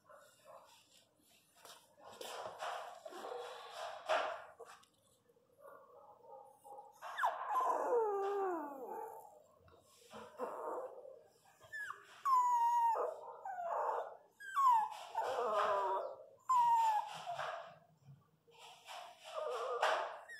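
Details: Pinscher dog, the female Lara, during the natural birth of her puppies: high whimpers with sliding, wavering tones come in a row of several cries, broken by soft breathy sounds and brief pauses.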